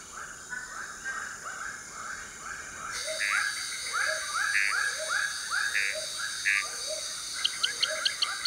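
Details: Frogs in the Borneo jungle at nightfall, many species singing in competition: overlapping upward-sweeping chirps come two to three times a second over a steady high hiss, with sharp clicks near the end.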